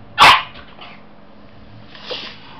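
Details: Two-month-old Jack Russell Terrier type puppy gives a single sharp, high, bright bark, then a few faint soft sounds and a quieter breathy noise near the end in a quiet room.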